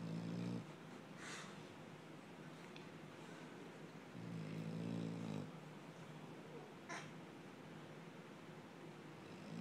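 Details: Sleeping dog snoring like a man, low droning snores at the start and around four to five seconds, with steady breathing noise between.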